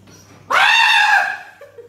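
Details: An Alaskan Malamute having its nails cut lets out a dramatic, sudden, shrill, drawn-out scream that sags slightly in pitch.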